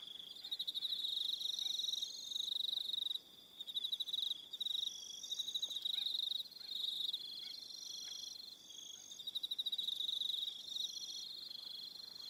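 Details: Crickets on Aroha Island, New Zealand, in the evening: dense pulsed chirping trains near one pitch with higher faint overtones, several insects overlapping in bursts a second or two long, with short gaps.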